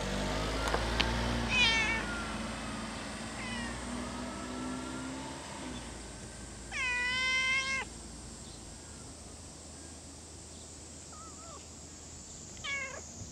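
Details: Stray cat filmed at a Japanese fishing port or cat island meows several times, with one loud drawn-out meow near the middle and shorter calls around it over a steady low engine hum.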